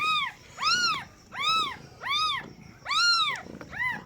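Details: Newborn kittens from a first-time mother cat's delivery giving plaintive, high, rising-and-falling mews, five full cries and a shorter last one, roughly one every 0.7 seconds, over a faint rumbling background.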